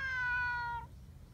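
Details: Short, loud, clear meow from a friendly neighbourhood cat at a post-rain cat gathering, under a second long, steady then gently falling, against a quiet background.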